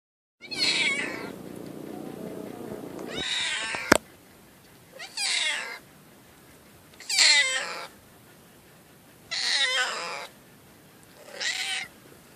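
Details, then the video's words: Pitiful meowing from a cat: one long, wavering meow of nearly three seconds, a sharp click, then five shorter, falling meows spaced about two seconds apart in a quiet room. "Pitiful cat meow"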